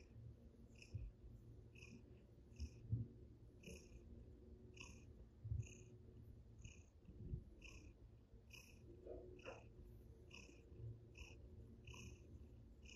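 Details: Russian Blue cat purring while it plays at a table indoors: a steady low rumbling purr throughout, with faint higher ticking bursts repeating about every 0.7 seconds and a few louder soft thumps.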